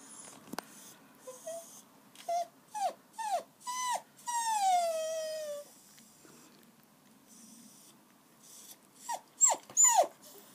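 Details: Whimpering from Daisy's four-week-old puppies as they try liquidised food: a series of short, sharply falling yelps, one long descending whine in the middle, then a quick cluster of high squeaky cries after a pause.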